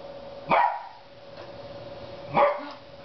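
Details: Dog barking while attacking a squeaking TV indoors: two short, sharp, harsh barks roughly two seconds apart, with a faint steady electronic tone beneath.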